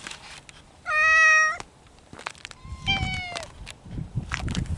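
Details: Spring courtship among feral mountain cats: one loud, steady, nasal meow held for about a second, then a softer, slightly falling second meow, over a background of outdoor noise and faint clicks.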